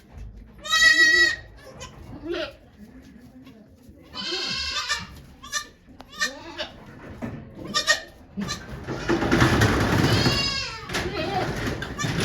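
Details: Goat named Okayu giving birth to two kids at Yoshigake farm in Japan on 3 May 2023, watched by volunteers; loud harmonic bleats near 1 and 4.5 seconds, then a long strained cry, with quiet human voices around.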